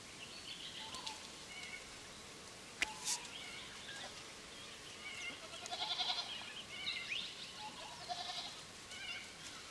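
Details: Feral goats bleating: several wavering, nasal bleats come in clusters near the middle and end, over a steady hiss of background noise, with a single sharp click early on.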